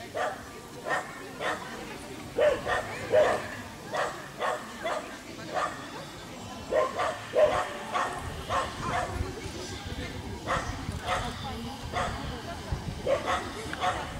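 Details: Rabbit dachshund giving a long run of short, sharp barks, some doubled in quick pairs, scattered steadily across the stretch with brief pauses, over a faint rumbling background.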